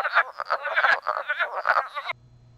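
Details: Wood frogs in northern Illinois woods, which call from late February to late April and breed in temporary vernal pools, give hoarse, clacking croaks in quick bursts like quacking ducks; the calling cuts off abruptly, leaving a faint low hum.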